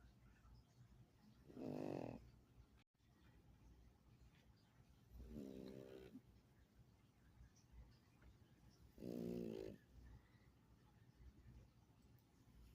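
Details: Sleeping pug giving three rough, low snores about every three and a half to four seconds, each a rattling, buzzy inhalation, the middle one softer, with faint breathing noise in between.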